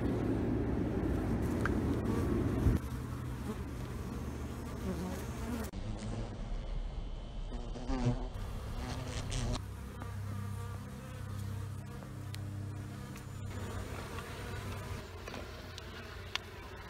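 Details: Honey bees from two colonies being removed from under a trailer at Panama City, a dense, steady low buzzing hum throughout, loudest in the first few seconds, with faint clicks and handling noises.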